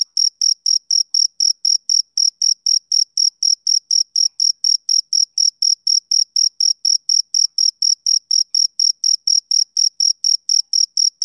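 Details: Male cricket chirping on a summer evening: a steady run of short, high, clean pulses, about four per second, evenly spaced and unbroken, with no other sounds in the background.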